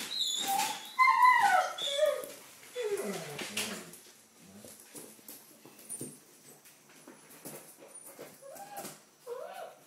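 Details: Red rust Doberman puppies, five weeks old, on their first day of deworming; high wavering whines and whimpers rise and fall in the first four seconds, then fade to soft scattered squeaks and rustling indoors.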